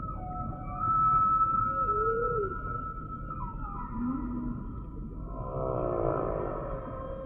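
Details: Humpback whale singing in a sequence of phrases: a long, level high tone, then brief upswept and arching mid-pitched cries, and finally a buzzy, pulsed rasp that swells near the close.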